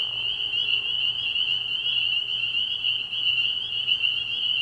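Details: Spring peepers in full chorus at a night pond in early spring, quieter and more distant, a steady high shrill ringing of overlapping peeps over a faint low pulsing hum.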